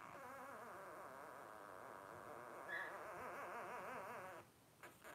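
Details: Blenheim Cavalier King Charles Spaniel puppy at 12 days old, from Paris and Spike's first litter of five: steady rapidly quavering whimpers, several voices blending, ending abruptly with a faint rustle.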